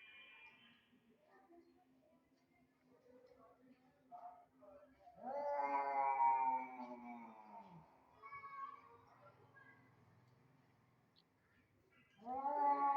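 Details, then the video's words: Hostile encounter between two cats that dislike each other: a long, wavering caterwaul swells for about three seconds midway, then shorter moans follow and a fresh yowl starts at the end. "two cat does not like each other company and generated horrible voice sound to see each other"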